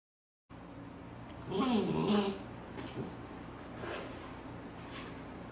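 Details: Latte, a young Siberian Husky not yet fully grown, asks to play while the owner works at a computer indoors; one wavering, talkative moan of just under a second bends up and down in pitch over a quiet room hum.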